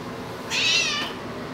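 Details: A female house cat answers when asked to talk, giving a short, high, bright meow of about half a second in a quiet room.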